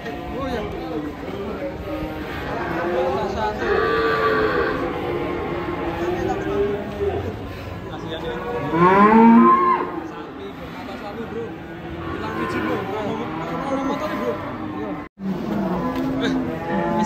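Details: Unusual cattle, including a one-eyed cow, lowing repeatedly: several rough harmonic moos, the loudest a strong bellow midway, under continuous background music with a brief drop-out near the end.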